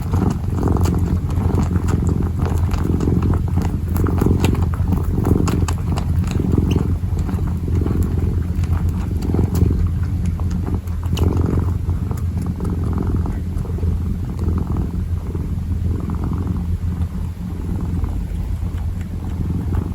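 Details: Kitten kneading and purring: a constant low droning purr for twenty seconds, with irregular light scratchy taps and rustling from the kneading, busier in the first half.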